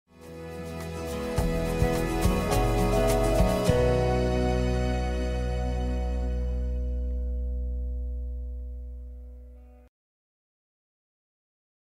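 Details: Soft sustained instrumental music with low drones and tinkling notes fades out into silence, with no animal sounds.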